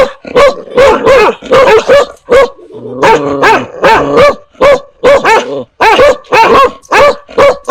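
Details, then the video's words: Dogs and puppies barking at strangers and at familiar people. Short, punchy barks repeat rapidly, broken midway by a drawn-out, tonal whining growl before the barking resumes. "Âm Thanh TIẾNG CHÓ SỦA và CHÓ CON sủa | Sounds of DOGS and PUPPIES barking"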